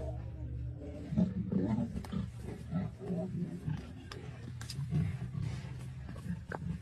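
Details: Lions in a fight with a buffalo in the Masai Mara, including the Black Rock male lion, 6 March 2024: deep, rough growling roars in short bursts, with a person exclaiming nearby.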